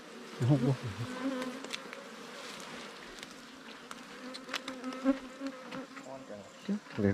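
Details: Buzzing from a wild underground cavity-nesting bee colony, a scarce bee smaller than kept honeybees, disturbed by a nest raid. Continuous even hum with stacked harmonics, interrupted by sharp taps and a few louder low bursts.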